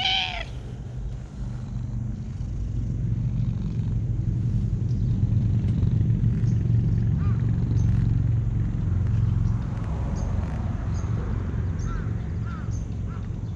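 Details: Cat purring while being stroked: a low, steady rumble swells and holds for most of the stretch after one short meow at the start, with faint high squeaks scattered later.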